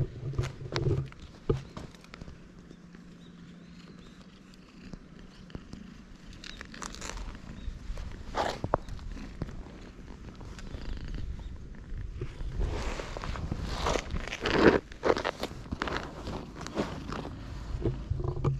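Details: Stray cats on a Japanese cat island, huddled close together; a low, steady purring rumble runs through the first half, then gives way to rustling, handling and scuffing noises that grow denser toward the end.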